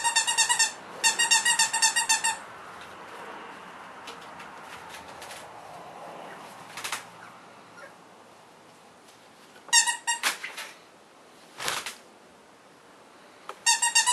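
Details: Newborn Cavalier King Charles Spaniel puppies, born November 5, 2013, give rapid bursts of high, squeaky pulsed whimpers in quick runs, with quiet pauses and soft rustling between the bursts.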